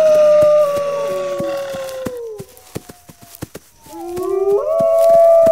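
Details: Wolves give a steady drawn-out howl that sinks gradually, then go quiet amid regular clicking ticks. Fresh howls start low and sweep upward into a loud, held note.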